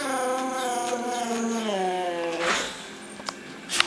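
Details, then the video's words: Riley, a Boxer trained to howl on command, doing the University of New Mexico Lobo howl indoors; one long harmonic howl sliding slowly downward for about two seconds, then a person's voice and clicks. "Riley and the Lobo Howl!"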